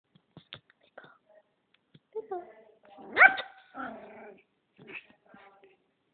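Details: Female pet dog getting feisty, barking and growling at another dog; short harsh harmonic bursts with a louder rising yelp-like bark midway, then rough growly tones, separated by brief quiet gaps.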